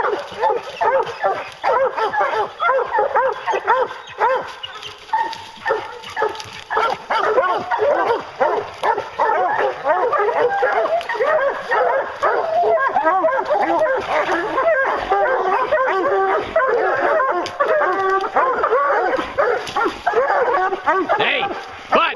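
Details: A pack of hounds on a bear hunt bays together in a dense, nonstop clamor. Many overlapping barks and bawls fill more than twenty seconds without a break.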